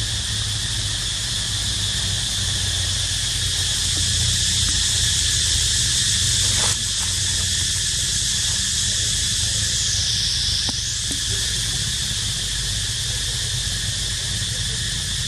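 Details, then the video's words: Cicadas crying while a baby monkey named Dito rests: a steady, dense, hissing drone high in pitch, unbroken throughout, with a brief click midway, a short falling-then-rising sweep near the end, and a low rumble beneath. "Amazing Sound Of Cicada Crying"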